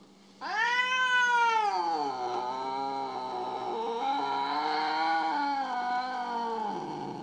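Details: Domestic cat, said to be upset with its owner after a kitten arrived, letting out one long, loud, drawn-out yowl lasting about six seconds, starting high then sinking and wavering, harmonic-rich and continuous.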